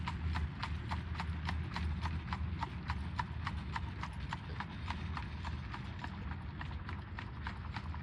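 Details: In Pennsylvania's Amish country, Lancaster, fall 2025, a buggy horse trots with loud, evenly spaced clip-clop hoofbeats, roughly two per second, over a deep rumbling road background.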